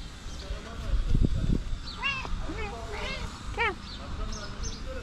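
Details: Cat asking for food gives several short, bright meows in a cluster, some rising then falling, mixed with a person speaking softly to it and a few low thumps.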